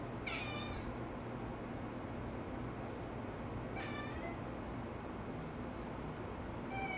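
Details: Domestic cat chattering at a laser on the living-room ceiling during a chase: three quick, trilled chirp bursts spaced roughly three seconds apart, each a brief stutter of high notes, against a constant low background hum.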